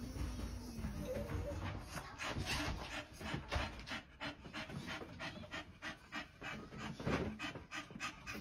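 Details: Blond Great Dane–German Shepherd mix, a dog once trained as a service dog: fast rhythmic panting, roughly three breaths a second, breathy and steady throughout, with faint background noise.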